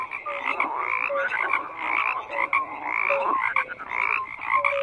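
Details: Frogs croaking together in a dense chorus, pulsed rasping notes layered with short whistled tones, overlapping calls rising and falling in bursts roughly every second.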